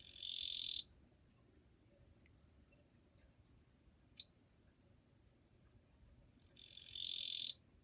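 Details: Japanese katydid calling on 2 July 2023, a relatively quiet individual. It gives two harsh, buzzing bursts, each under a second, about six seconds apart, with one sharp click between them.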